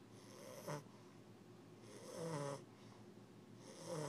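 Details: Wingo, an English bulldog puppy, asleep on a cool floor indoors while visiting, snores in slow, raspy, rumbling breaths, three drawn-out snores spaced about a second and a half apart in a quiet room.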